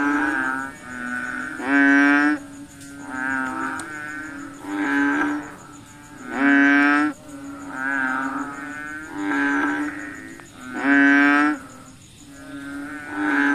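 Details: Frogs at night give nasal, bleating croaks in overlapping bursts about every second and a half, with a thin insect hum behind; frog.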